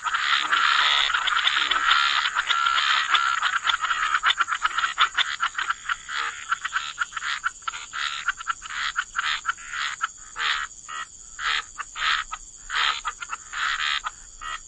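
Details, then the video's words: Frogs croaking by the waterside in a wetland chorus, dense overlapping raspy croaks at first, then thinning into separate bursts roughly every half second to second, with a steady high hiss throughout. "Frog Lullaby: Relax to the Sound of Croaking Frogs"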